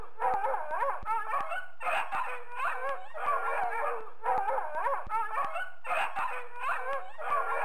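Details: Loud barking from a dog in bursts of overlapping yelps and wavering, howl-like notes, repeated roughly every one to two seconds, with sharp clicking sounds.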